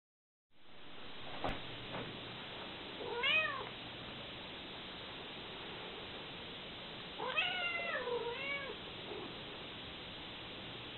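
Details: Domestic mother cat with her kittens, hugging and licking them as they try to escape; two bouts of high, wavering meows, one brief near the start and a longer cluster of several calls later, over steady background hiss indoors.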